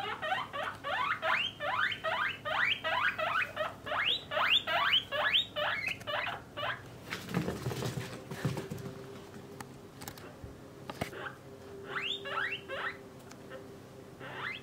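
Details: Pet guinea pigs, a parent and offspring kept in separate cages for males and females, give loud rising whistled wheeks, about two or three a second for seven seconds, then a thump and a pause before a few more wheeks; faint steady hum.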